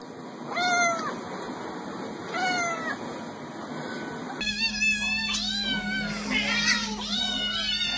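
Cats give drawn-out, harmonic meows, first two spaced apart, then several overlapping ones.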